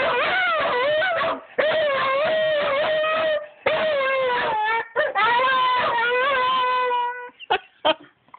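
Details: Dog howling in long, drawn-out tonal wails with rich overtones, pitch wavering and sliding, in several phrases separated by short breaks, ending in brief clipped yelps.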